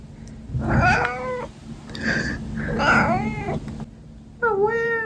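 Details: A pet cat that always answers when spoken to gives three drawn-out meows, each rising then falling in pitch, spaced about a second apart, over a faint steady low hum.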